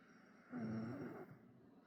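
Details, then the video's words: A Bull Terrier, fast asleep on a lap, gives a single low, rasping snore lasting under a second. "Cute and Funny Bull Terrier Snoring"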